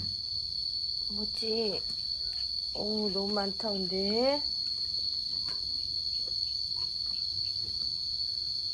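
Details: Momo, a yard cat in Laos defending territory early in the rainy season, gives a short series of bending, moaning yowls, each louder and more drawn out, against a steady high-pitched insect drone.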